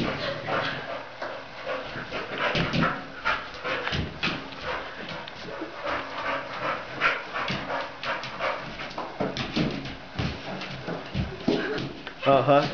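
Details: Staffordshire Bull Terrier named Chance during ball training, excited and active: short yelps and whining cries scattered through repeated thumps and knocking bursts of play, with no steady pause between sounds.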